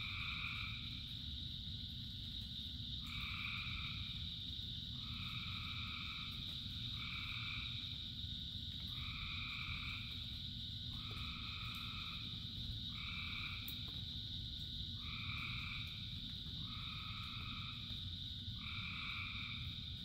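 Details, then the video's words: Frogs singing during rain, a dense chorus of short buzzy croaking bursts repeating roughly every second, each with a stacked two-tone quality, set against constant rain hiss and deep background rumble. "Frogs in Rain 2 Hours of Frogs, Thousands of Frogs Singing"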